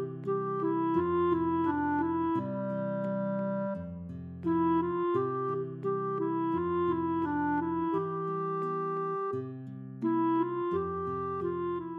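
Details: A melodic woodwind tune resembling a clarinet, playing sustained phrases over a low accompaniment, with no animal voice heard.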